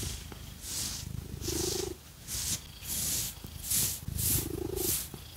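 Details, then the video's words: Purring house cat named Phoenix being scratched with fake nails; a soft, steady low rumble with two clear breathy swells, overlaid by crisp, rhythmic scratching strokes close to the microphone. "Scratchy Cat Massage | 🐈 Lots of Purring"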